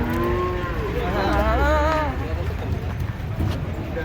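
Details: Giant cattle, described as fierce, being unloaded from a truck; overlapping wavering moos with several voices at once, steady and rising tones layered over low rumbling background noise.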